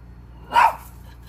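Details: A single short, sharp bark from a Maltese jealous of a squirrel, a quick bright yap lasting a fraction of a second over faint low hum.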